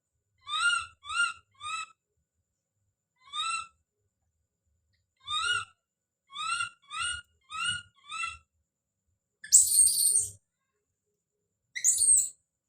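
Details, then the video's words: A baby monkey screaming as it calls out: high, sharply rising harmonic squeals in quick bursts of two to four, separated by short pauses, then a harsher, noisier shriek near the end and another at the close. "The sound of baby Don's scream as he called out"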